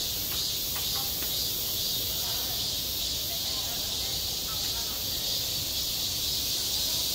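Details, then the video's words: Cicadas calling in midsummer at a school playground: a sustained, bright metallic buzzing wash, slightly pulsing, with a few soft clicks in the first seconds. "한 여름 운동장에서 매미가 울고 있다"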